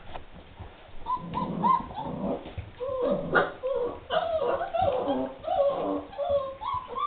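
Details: Several 3½-week-old puppies of a litter at lunchtime, giving short high whines and yips mixed with low grunts, while a person coaxes them and music plays in the background.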